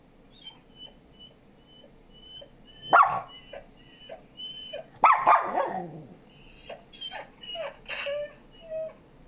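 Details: Pet dog, a Shih Tzu and Miniature Pinscher mix, reacting to sounds played to it indoors: short sharp barks and yips amid repeated high electronic beeping tones, with loud bursts around the middle and quieter whines later.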